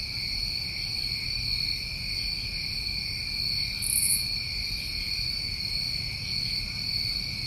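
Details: New England summertime crickets at night, a dense steady chorus of continuous high trilling bands with a brief brighter chirp burst near the middle and low rumbling background noise.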